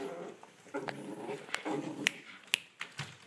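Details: Olde English Bulldogge puppies, ten weeks old, playing indoors: soft whimpering grunts and short whines in a loose, irregular series, broken by sharp clicks and scuffles of play in a small room.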